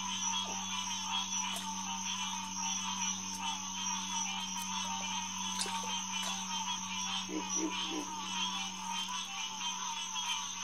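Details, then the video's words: Hyla cinerea chorusing at night beside Headquarters Pond, SMNWR, June 2, 2021, about 9:10pm. A thick, unbroken wash of frog calls is heard, with a few sharp clicks and three low grunts around seven to eight seconds. "Green Tree Frog Chorus"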